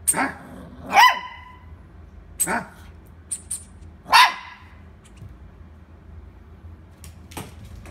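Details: Toy poodle weighing 2.4 kg gives sharp, high barks, two close together near the start and another a few seconds later, with a quiet indoor background and faint clicks between.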